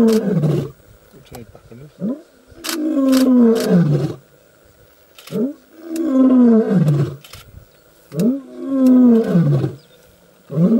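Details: Roaring of a young male lion in the African bush, declaring that he has arrived: three long, throaty moans, each swelling and then dropping in pitch, roughly every three seconds, with a few sharp clicks.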